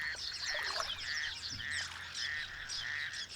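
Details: Raucous toads, breeding by day or night, give harsh, duck-like rasping calls, repeated and overlapping in a busy breeding chorus; a male calls hidden in reeds in a small dam outside Cape Town.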